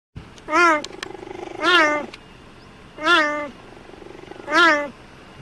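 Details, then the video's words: A cheetah at the Cheetah Conservation Fund in Namibia gives four short, nasal meows, each slightly rising then falling, about a second apart. "Meowing cheetahs"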